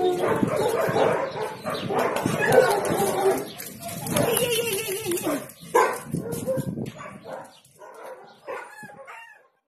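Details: Spanish greyhounds (Galgo Español) Romana, Sombra and Quack playing together in a patio. Rough, overlapping barks, yelps and growly vocal bursts come thick and fast for several seconds, then thin into sparser, quieter yaps before fading out.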